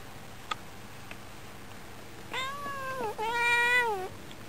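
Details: Female domestic cat indoors at a window in summer, meowing toward birds outside while in an affectionate mood; two drawn-out harmonic meows, the first sliding down and the second longer and steady, with faint clicks beforehand.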